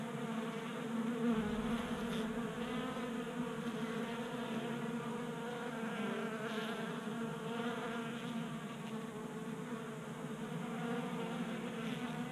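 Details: Honey bees feasting at a 3D printed table-top feeder on a garage workbench in Colorado, during a warm 60-degree January spell. A steady, dense, droning hum of many wings, with a low even pitch and stacked overtones, swelling slightly throughout.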